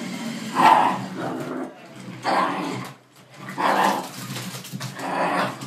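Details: Dog confronting a jeep, giving four loud, harsh barks roughly every one and a half seconds, with rough growling between them over a steady low hum.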